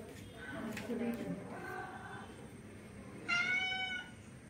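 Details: Orange male cat trying to mate with a female: several harmonic meows, a low rough one early, then a longer one and a loud, clear, slightly falling meow near the end, over faint background hum.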